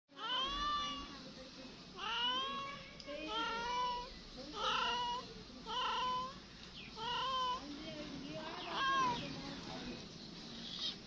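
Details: Domestic cat meowing repeatedly indoors, about eight drawn-out, wavering meows with rising then falling pitch, each lasting close to a second, separated by short pauses.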